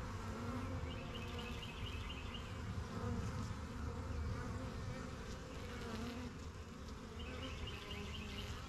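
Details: Honey bees at a busy backyard hive, the yellow hive and the strongest of a first few hives, flying in and out of their new box: a dense, steady low drone with faint bird chirps in the background.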